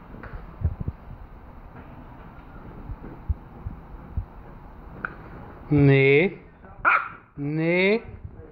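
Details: Obi the bulldog, going crazy indoors: after several quiet seconds of household noise, three drawn-out, harmonic whining yowls rise and waver, the first and last lasting nearly a second each, the middle one shorter.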